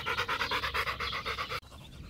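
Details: Rapid, regular panting from Macho the Rottweiler during a game of fetch, with quick breathy pulses for about a second and a half before an abrupt stop into quiet.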